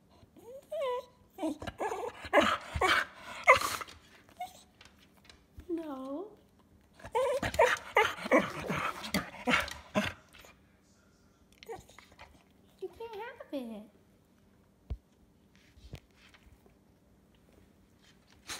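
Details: Cocker spaniel 'talking' indoors: wavering whines and moaning yowls mixed with a person's speech, busy stretches early and mid-clip, then a lone wobbly whine later amid a quiet room.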